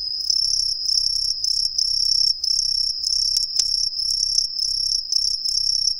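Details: Green tree crickets, an introduced species hidden in street trees in a residential area of Ehime, Japan, sing from all around, a shrill, high, unbroken, slightly pulsing trill with a faint low rumble beneath.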